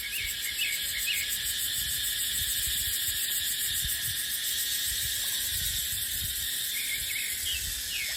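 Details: A high, unbroken cicada drone fills a dipterocarp forest in the dry season. Scattered quick twittering notes are sprinkled across it, with only a soft breath of wind beneath.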